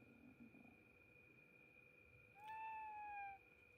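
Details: Domestic cat, voiced as asking its mother to sleep together, gives one drawn-out meow near the end, a clear tone rising slightly then gently falling over about a second, over a steady electrical hum in an otherwise quiet room.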